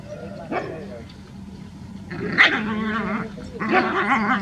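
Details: Village street dogs in a group barking, a few drawn-out yelping barks rising in loudness toward the end, with voices in the background.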